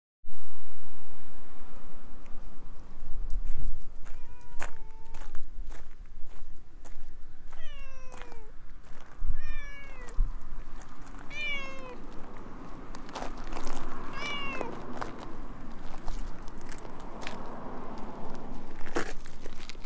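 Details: Talkative orange tabby stray cat clinging to a person's legs, filmed on a GoPro at night: a series of short falling meows, about six calls spaced one to two seconds apart, with rustling and footsteps between.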